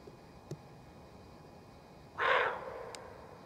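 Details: Roe deer doe, worried, barking a danger warning in the forest: a single loud, rasping bark late in the clip, broad and harsh with a short fading tail, after faint clicks in a quiet background.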